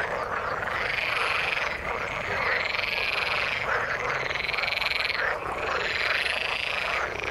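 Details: In the water, frogs give buzzy, pulsed calls in long bouts that rise and dip, one bout after another every couple of seconds, above a constant background chorus of other frogs.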